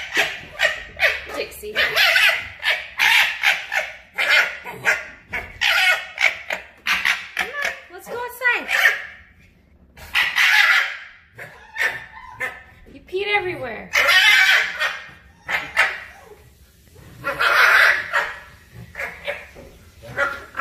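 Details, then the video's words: Two foxes in a fight: loud, hoarse chattering screams in irregular bursts, interspersed with a few shorter whining, wavering notes and quieter pauses between outbursts. "Two foxes fighting..!"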